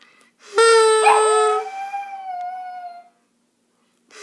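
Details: Pet dog singing along to a song: a single drawn-out howl, starting high and clear, wavering briefly, then sliding slowly downward for about two and a half seconds before fading, with near silence around it.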